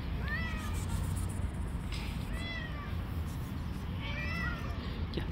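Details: Street cat said to attack and fight other cats: several thin rising-falling meows spaced about a second apart over a constant low rumbling background noise outdoors.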